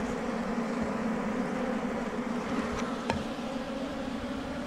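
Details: Honey bees swarming at a wild beehive beneath rocks in the forest, a low continuous buzz with one sharp knock near the three-second mark.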